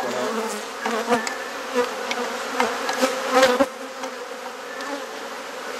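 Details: Honey bees droning around a hive opened for inspection as frames are swapped, garden in Perth, Australia; continuous low buzzing with scattered clicks and knocks from handling.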